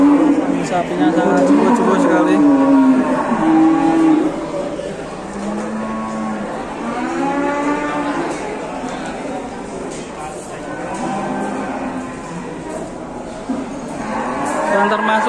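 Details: Enormous cow in Indonesia surrounded by crowds; a series of deep, drawn-out moos, each several seconds long with stacked harmonics, rises and falls over a constant hum of people talking.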